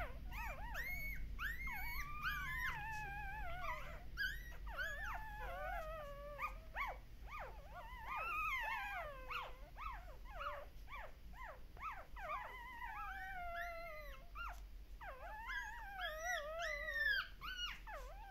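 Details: Puppies at a Shiba Inu and Samoyed breeder in the Netherlands howling while their mother is away, many overlapping wavering, rising and falling cries with harmonics, almost continuous chorus of whines and yelps.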